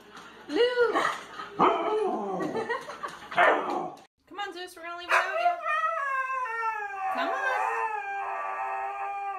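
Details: Siberian Husky in a funny-moments compilation, giving long wavering howl-like vocalizations with bending, yodelling pitch. The first phrase breaks into short rising and falling swoops, then a brief pause is followed by a steadier, drawn-out second phrase.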